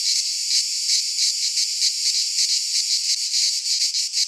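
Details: Cicadas singing in midsummer in a Greek pine forest: a dense, high, buzzing chorus that throbs in quick, uneven pulses about three times a second, with no other clear sounds.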